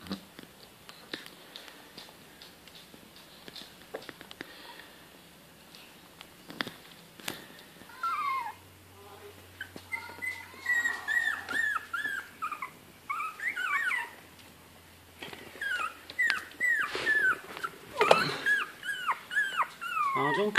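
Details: Litter of four 19-day-old Bichon Frise x Yorkshire Terrier puppies, eyes newly opened, indoors on September 4th; after a quiet start, many high squeaky whines and yelps overlap from several pups, rising and falling in quick bursts.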